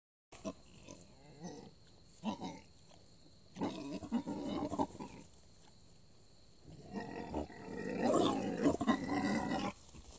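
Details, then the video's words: Two wild boars caught by a camera trap in Canavese, Piedmont, Italy; low rough grunting bursts in irregular bouts, with rustling between them and a louder stretch of snorting grunts near the end. "Verso del cinghiale"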